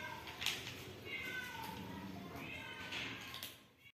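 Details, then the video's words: Hungry kittens meowing and wanting food in a house: drawn-out, wavering mews, one near the start, others through the middle, a longer wail near the end, over a low background murmur. "Hungry kittens meows and want to eat food"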